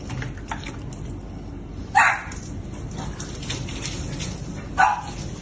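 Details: Oreo, a pet French Bulldog, during bath time: two short, sharp barks about three seconds apart over a steady background hiss of running water.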